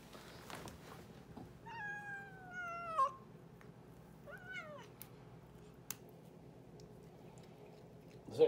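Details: A domestic cat named Boots talking indoors: two short meows, the first gliding slowly downward for over a second, the second a brief bent call about a second later, over faint room noise with a few clicks.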